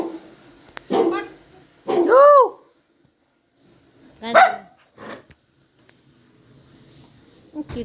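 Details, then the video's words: Poodle puppy yowling: scattered short bursts, one clear arched whine rising and falling near two seconds, another sharp cry around four seconds, separated by quiet gaps. "poodle listening to the crying sound of the puppy | yowling sound of puppy | poodle puppy"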